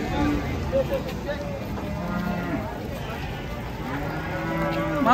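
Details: Large cattle, some weighing nearly one ton, lowing among a herd: drawn-out, low, harmonic moos that slide slightly in pitch, with one rising call near the end over steady background hum.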